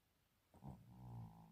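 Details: Chino, a male cat, complains with a low moan because he wants to sit on a chair. A brief louder onset is followed by a longer, even, humming moan that tapers off, heard indoors between a woman's questions.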